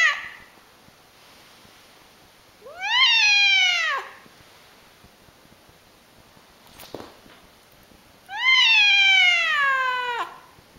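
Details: Two loud, strongly harmonic meows roughly five seconds apart from a cat said to meow in a very funny way, each rising sharply then drooping into a long falling tail; a brief click between them.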